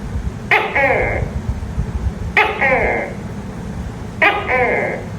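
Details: A tokay gecko at night gives three loud calls about two seconds apart; each starts with a sharp click and falls into a nasal, tonal second syllable over a constant low background hum.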